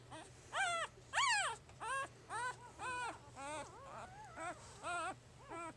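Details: Newborn puppy from Jig's litter at three days old, giving a run of high whimpering squeals, each arched up then down in pitch, about ten cries spaced roughly half a second apart, over a low steady hum.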